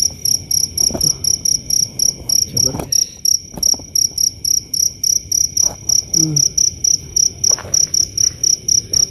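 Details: A mountain cricket at its burrow on a dry hillside with loose soil, at night after rain, sings a steady, very loud run of high, ringing chirps, nearly four each second, before falling silent.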